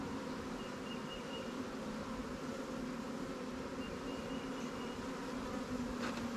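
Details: Steady buzzing of honey bees at new swarm hives, Langstroth and Warre types, in an apiary as the beekeeper supplies them with resources from stronger hives; an even, continuous drone with a couple of faint, thin high chirps.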